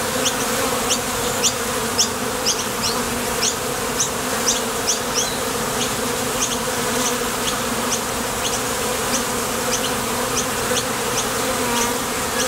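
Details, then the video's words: Many honey bees at a Top Bar Hive entrance, heading to and from the field for nectar, keep up a continuous, vibrating hum with layered low tones, accompanied by a string of crisp, high ticks. "Sonido de las Abejas"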